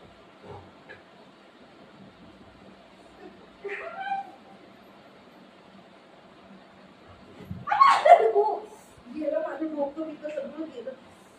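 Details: Playful golden retriever with its owner, from the pair Buzo and Milo: a short squeaky whine early on, then a loud harsh yelp and a few lower grumbling sounds, with human speech mixed in.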